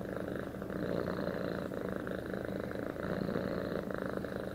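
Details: Close, loud domestic cat purr, an even buzzing rumble cycling with the cat's breathing.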